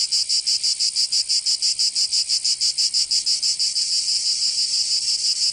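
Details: Cicadas in southern France's Provence during summer, producing an intense high buzzing that swells and dips in rapid rhythmic throbs, steady from start to finish.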